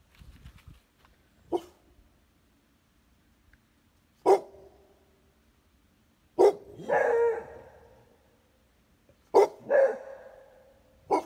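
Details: A Pitbull and a Beagle–Basset Hound mix barking sporadically: sharp single barks every few seconds, some followed at once by longer, drawn-out barks, with faint rustling at the start.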